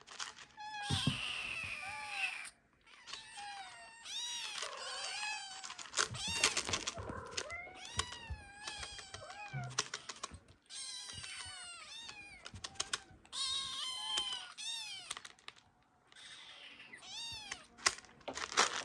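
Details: Ragdoll kittens from a mother's first litter begging for food: many short high meows overlapping in busy bursts, some rising and bending, mixed with thumps, rustling and faint background music.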